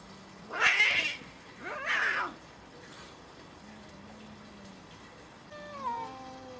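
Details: Cats fighting fiercely: two harsh, noisy screeches in the first two seconds, then quiet low moans and a falling, wavering yowl near the end.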